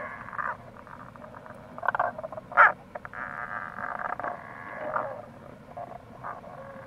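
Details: April recording of Tago's brown frog (Rana tagoi) beside a gorge on the Kamo River, Itoshima, Fukuoka, Japan: soft muffled croaks, one sharper louder note near the middle, over continuous stream noise.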